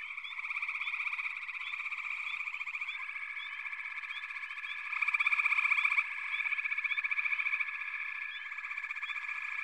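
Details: Massed frog chorus of fast, pulsing trills about four per second, merging into a continuous buzz with scattered rising chirps and a louder surge of calling near the middle.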